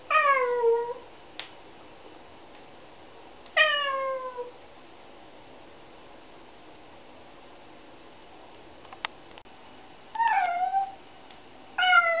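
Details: Cat being shampooed, among three cats bathed, gives a few separate meows: a falling cry, a long downward meow, then later a bent meow, with quiet gaps and faint clicks between.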